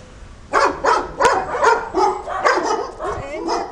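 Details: Neighbourhood dogs heard on a walk, a run of quick, sharp barks about three per second, irregular and overlapping, with a single loud click midway.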